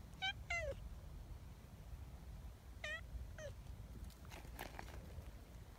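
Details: A large black community cat meowing to call for people: two clear, tonal meows near the start and two more around three seconds, each bending downward at the end, over a low rumbling background with faint knocks afterward.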